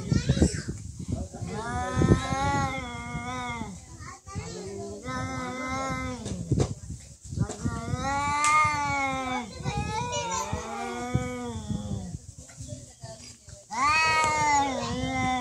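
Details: Cats in a real fight, giving long, drawn-out, wavering yowls rich in harmonics. Several rising and falling howls last a few seconds each across the stretch, with human voices and shuffling noises underneath.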